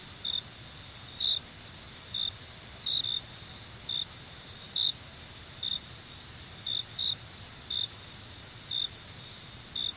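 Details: Crickets chirp at night after sunset against a steady, high, ringing trill from a chorus of others, amid rustling leaves and distant calls of other night creatures.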